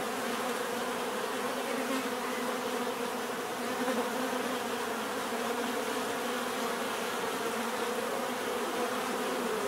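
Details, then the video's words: Bees in a steady, dense hum of overlapping wingbeats, low droning bands layered under a constant textured whirr with no pauses. "bees therapy relaxing natural buzzing sound"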